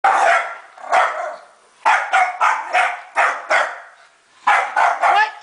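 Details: Scottish Terrier attacking a vacuum cleaner, giving sharp barks in loose bursts, a pair near the start, then quick clusters of three or four with short pauses between.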